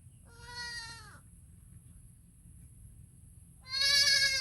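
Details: Goat (Capra hircus), kid bleat: young kid calling for its mother.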